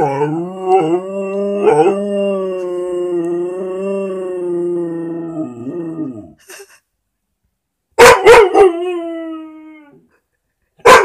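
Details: A Vizsla howling at a squeaky toy; one long, steady, slightly wavering howl for six seconds that sinks at the end, then after a pause sharp squeaks from the toy near eight seconds and again at the close.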